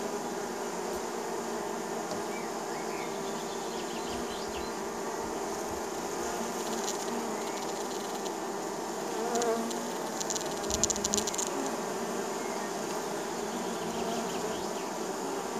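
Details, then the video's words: In spring, many honey bees at a neighbour's hives hum together in a steady, low, droning buzz that swells and fades as individuals fly close past a landing spot. "Relaxing Bee Sound Effect - Honey Bee Landing Strip"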